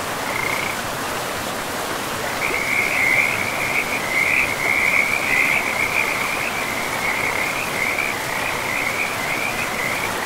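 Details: Frogs by a river in a pristine, moss-covered forest: a continuous high trilling chorus, pulsing and wavering in pitch, drops out briefly near the start then runs steadily on, over a constant rushing river.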